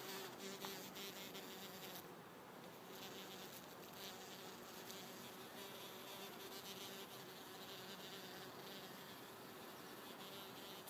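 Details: Black bumblebee working a bottlebrush bush, recorded on an iPhone: a low, steady droning hum with faint, intermittent tonal bands that swell and fade as the insect moves, set against constant broadband hiss.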